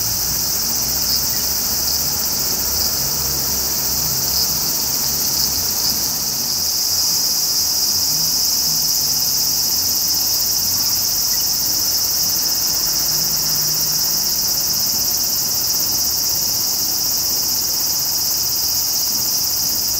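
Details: Twenty seconds of steady, shrill frying-oil sizzle from a large brown cicada in Japanese woodland during its July to September season, unchanging in pitch and volume, with faint low rumble beneath.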